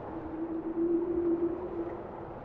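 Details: Steady, drawn-out tonal hum from a bowhead whale, one level note swelling in loudness midway and then easing off, set against a soft continuous underwater wash.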